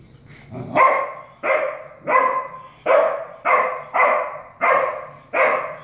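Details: Puppy barking at a cat, recorded in 2016 before obedience training: eight sharp, bright barks spaced about two-thirds of a second apart, each with a quick attack and short fading tail, steady and insistent.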